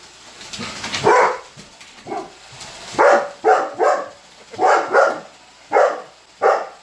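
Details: Weimaraner barking throughout while a robot vacuum runs, annoyed by the machine: a rapid run of about nine short, harsh barks, some in close pairs, over a soft background hum.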